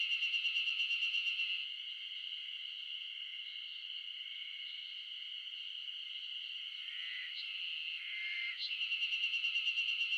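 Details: Mid-June chorus of Ezo spring cicadas in Japan's Shinetsu highlands, loud enough to drown out birds. A steady high shrill drones throughout, with a close cicada's rapid pulsed phrases at the start and end.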